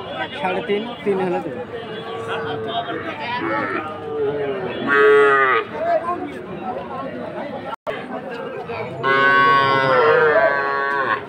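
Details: Sahiwal calves at a cattle market in Ambari, Dinajpur, on Monday 20 February: drawn-out harmonic moos rise above steady crowd chatter and voices, with louder lowing bursts near the middle and the end.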